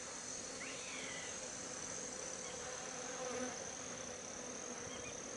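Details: A swarm of African honey bees at Ngaresero, 27 December 2016, working Artemisia flowers for pollen, makes a dense continuous drone with a low humming band that holds steady throughout, without pauses.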